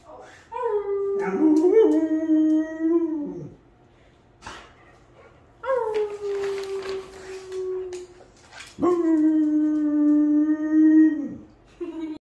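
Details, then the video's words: Pet dog howling to greet its owner arriving home: three long, sustained howls, the first wavering and breaking into whiny yips, the others sliding slightly downward, with short quiet gaps and a few clicks between them. "My Dog HOWLS to greet me when I come home"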